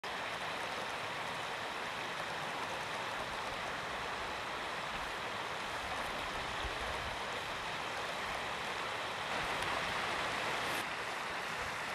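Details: Steady rushing water, like a stream or waterfall, with no animal calls standing out.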